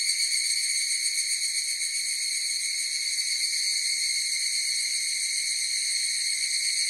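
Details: Higurashi cicadas in chorus: a steady, shrill, high ringing drone with a fine rapid pulse, holding level for the whole stretch with no other sounds.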